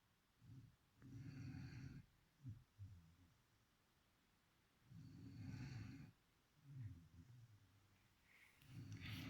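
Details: Low, rattling snores from a sleeping beagle called Chipi, about four breaths across the stretch, each a rough rumble lasting roughly a second, separated by short quiet gaps.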